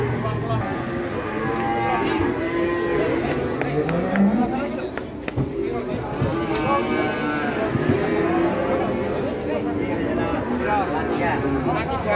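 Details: Giant Pegon cattle nicknamed the concrete-neck, a massive fattened animal, giving drawn-out lowing moos with wavering harmonic bands, amid human voices, chatter and background music.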